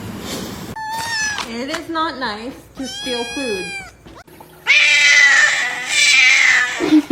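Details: Pet cat in a funny compilation, meowing indoors: several drawn-out, tonal meows with rising and falling pitch, then a loud, harsh, strained wail near the end, with a little human speech in the background.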